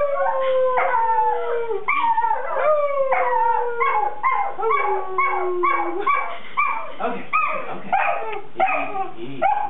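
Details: Howling Weimaraner puppy, voice wavering through long falling howls that break into quick yelping rises and drops, continuous with little pause across the whole stretch.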